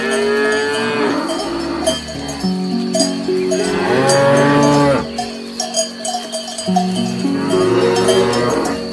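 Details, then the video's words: Grazing cows eating grass, with a herd lowing in overlapping long moos, one swelling loud and arching in pitch near the middle, while cowbells ring steadily behind. "Cows Eating Grass"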